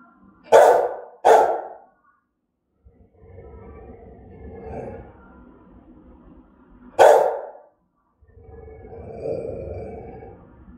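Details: Aggressive, threatening barks from a German-type Rottweiler: two quick loud barks, a stretch of low rumbling growl-like noise, another single sharp bark, then more low rough rumbling.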